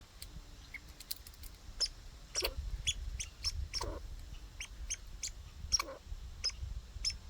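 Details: Backyard squirrel outdoors gives short, high, hiccup-like chirps at an uneven pace over a low background rumble.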